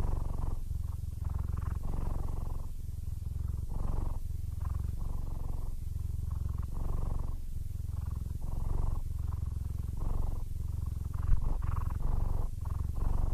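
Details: Steady contented purring from a nearly blind, 15-year-old male Siamese called Aris. The low buzzing rumble rises and falls with each breath, with a brief tap near the end.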